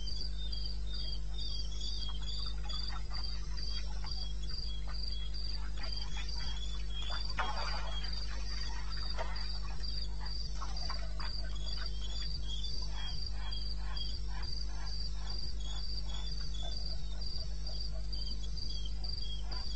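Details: Eastern Botswana wilderness at night, 21 May 16, 2:30 am: a cricket keeps up a fast, even high chirping while many crackling clicks and rustles come and go, over a continuous low hum.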